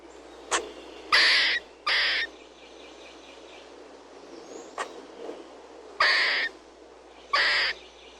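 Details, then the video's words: Squirrel chirping: harsh, raspy bursts of about half a second, widely spread in pitch, come in pairs roughly a second apart, with sharp faint clicks between the pairs and a low steady hum underneath. "SQUIRREL CHIRPING SFX"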